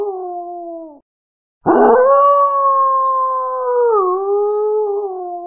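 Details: Sustained wolf howl after a brief silence: a rough start, then a long, pure, steady tone that wavers downward, recovers, and slowly sinks. The end of an earlier howl comes first.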